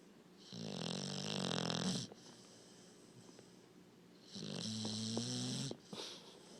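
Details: Sleeping puppy snoring: two long, raspy, buzzing breaths with a low droning hum, the first near the start lasting about a second and a half, the second a few seconds later, followed by a short soft snort, in a quiet room.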